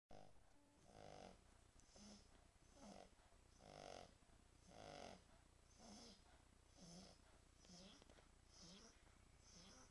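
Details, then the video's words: French Bulldog snoring, a rough rasping snore repeated about once a second in uneven breaths, with harsh noisy bursts on each breath and a steady low hum underneath. "Französische Bulldogge Tyson schnarcht French Bulldog snoring"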